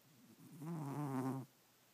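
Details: Sleeping pet cat snoring through the night indoors: a single low, rasping, buzzy inhalation close to a second long, its harmonics fluttering slightly, then quiet room tone.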